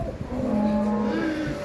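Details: Holstein Friesian cows offered for sale at Ghodegaon market near Shani Shingnapur, Nevasa taluka, Ahmednagar district, India; one steady, low, drawn-out moo with a slight rise at the end, under market noise and vehicle hum.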